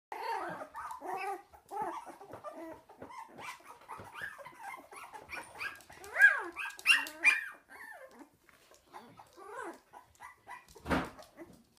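Cocker spaniel puppies play fighting, with squeaky yips, little whines and soft growls.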